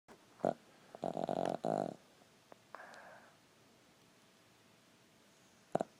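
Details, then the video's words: Boston Terrier, a small foster dog, snoring while asleep indoors: two loud, rasping snorts in quick succession followed by a softer, breathy exhale, with a brief snort at the end. "whole lotta snore in one tiny Boston Terrier"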